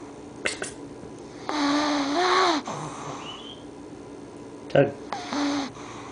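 A sleeping English Bulldog puppy snores with squeaky, nasal, rising-and-falling wheezes.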